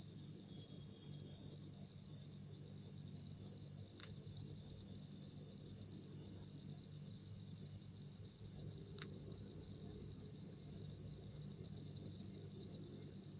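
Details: At midnight a house cricket sings a continuous piercing high trill made of fast regular pulses, broken by a brief gap near the start, over a quiet low background hum.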